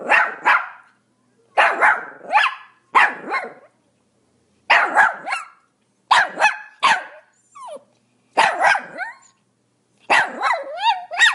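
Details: Pomeranian barking steadily: about eight bursts of shrill, raspy paired barks at roughly one-second gaps, a short whine near the middle and a wavering yelp at the end.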